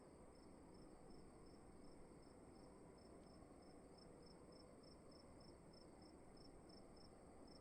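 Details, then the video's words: Crickets heard in a room, evenly spaced high chirps repeating steadily at a brisk pace throughout, set over a low humming background and a steady high electrical whine. "Sound of emptiness and crickets in the room"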